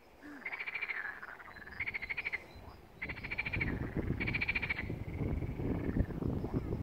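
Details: Frogs at a pond in Malaya Danilovka call in short, rattling pulsed trills, each burst repeated about every second over a low rumble.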